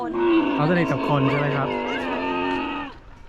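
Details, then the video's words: Baby camel being bottle-fed at Safari World, giving a long droning moan that holds steady for nearly three seconds with a rich layered tone, while a woman talks over the start. "ให้อาหารลูกอูฐ ซาฟารีเวิลด์ Feed baby Camel @ Safari World"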